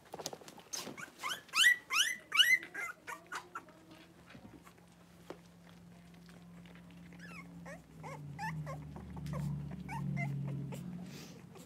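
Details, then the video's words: Five 3-week-old blenheim Cavalier King Charles Spaniel puppies wrestle and play in an indoor puppy pen; loud, rising harmonic whines and squeals come in a quick burst early on, then softer yips and scuffling with a low steady hum. "3-Week-Old Cavalier Puppies Wrestle and Play"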